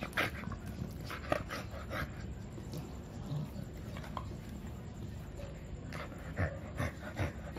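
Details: Milo, a two-year-old male American Bully, wanting to play: soft breathy panting with quiet whimpers, broadband puffs in an uneven rhythm over a low indoor rumble.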